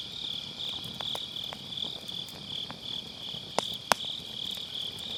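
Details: Grass insects on an autumn night, recorded beside a crackling wood fire in a round fire pit: a steady high shimmering trill of many crickets, with sharp pops and snaps of burning firewood breaking through.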